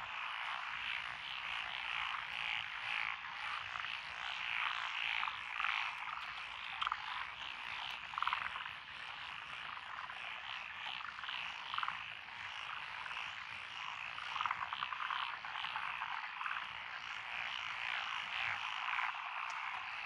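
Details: Rice-paddy frogs among lotus fields in Echizen, Fukui, Japan, on 12 June 2021, calling together in a dense wall of rapid, pulsed croaks, with louder individual calls breaking through every few seconds.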